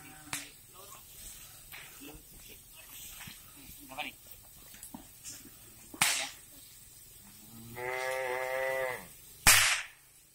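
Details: Cattle on a breeding farm in Riau, Indonesia: one harmonic moo of about a second, held steady, rising out of scattered knocks, clatter and short bursts of noise.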